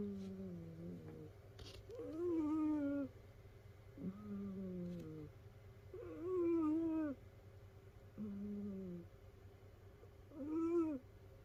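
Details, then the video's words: Rescued domestic cat snoring while asleep among several cats, indoors; alternating low buzzy and higher whistled piping breaths, about one second each, coming every two seconds against a constant low electrical hum. "猫のいびき who?snoring cat."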